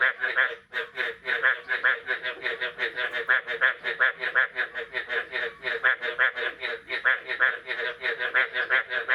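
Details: Frogs calling on the morning of 9 May 2022, after the first rain of the year: a dense chorus of rapid, harsh, pulsed croaks with rich overtones, about 160 per minute, overlapping without pause.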